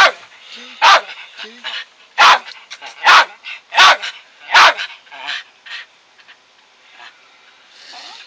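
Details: Dog barking persistently at home: a series of loud, rough, single barks spaced about a second apart, with softer yips and low murmuring between them.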